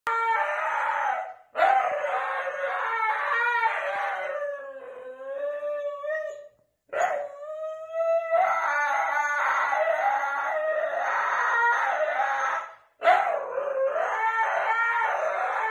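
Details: Husky in a dramatic screaming fit indoors while its owner works from home: long wavering howls with rich harmonics, rising and falling, broken by short pauses, the voice swooping up and down throughout.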